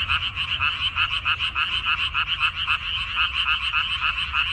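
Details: Frogs croaking in a water dropwort field on 14 May 2021: loud, buzzy rattling pulses in quick succession, slightly uneven as several callers overlap, with a soft low hum below.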